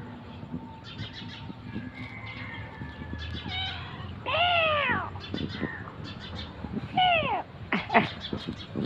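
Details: Cat on a roadside in the morning, one of three that had been sleeping there, giving two loud drawn-out meows with falling harmonics, amid faint bird chirps and scattered background noise.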